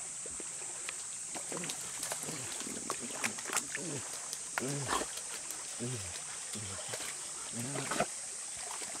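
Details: Two Golden Retrievers, Kohaku and Bis, stop at their usual spot above a river and ask whether they may go down to play in the water. They give low, arched grumbling moans in a series of short bursts, over a steady high insect drone and stream noise.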